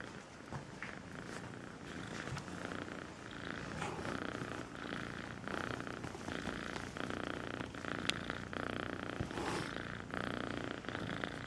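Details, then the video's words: Purring from Melissa, a sweet kitten: an even, raspy low drone pulsing in breath-length waves, fairly loud and close, with a sharp click partway through. "El gatito con el nombre Melissa dulce ronronea"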